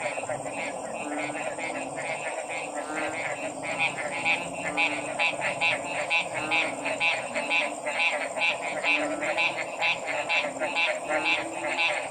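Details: Many frogs croak together, short pulsed calls running in a fast, uneven stream that grows busier partway through, set against a continuous hiss and faint low rumble.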